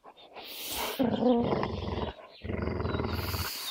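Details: An American Staffordshire terrier and a beagle hold a stubborn standoff over a piece of fabric toy, teeth sunk in: a deep, rattling growl pulses rapidly, pauses briefly, then resumes steadily.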